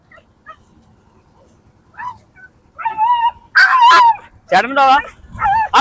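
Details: Dog heard in a leash-talk dog challenge, giving short high whining yips with a falling pitch, then a few sharper barking bursts near the end, overlapped by human speech throughout.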